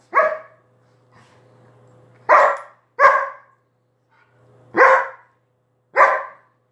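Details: Dog barking sharply five times in under seven seconds, each bark short and bright with a quick fade, a soft buzzing hum filling some of the gaps between them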